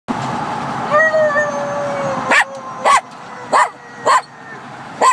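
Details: A Jack Russell Terrier, copying his owner's howling, discovers he can howl: a long, wavering howl, then a string of sharp yips.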